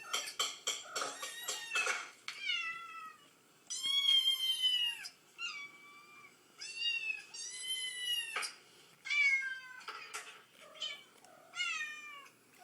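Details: Mother cat replying to sounds of meowing kittens inside a home: quick tapping at the start, then a string of clear, bright meows, some long and sweeping, others short, repeated every second or two.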